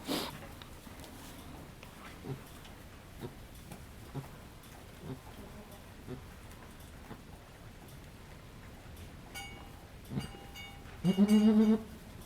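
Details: Halley Berry, a goat at Needham Goat Farm, in labor with the second of triplets. Quiet rustling and soft shuffling give way near the end to one loud, strained, harmonic bleat lasting about a second.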